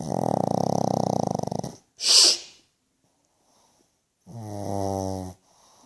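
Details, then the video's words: Pug dog asleep and snoring loudly, with a long, rough, rattling snore, a brief hissing shush from a person, a quiet pause, then another shorter, buzzy snore. "Annoyingly Cute pug snoring loud"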